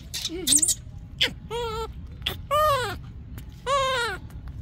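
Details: Yaya's baby monkey screaming for Yoyo's milk: three loud, harmonic, arched wails, each rising then falling and lasting about half a second, after softer squeaks and clicks, over a low background rumble.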